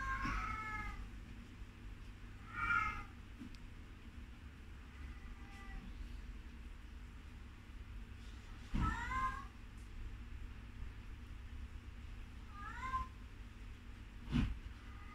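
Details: A baby sugar glider gives short, bent, harmonic calls in brief bursts every few seconds, some faint, over a steady low hum with a few soft thumps.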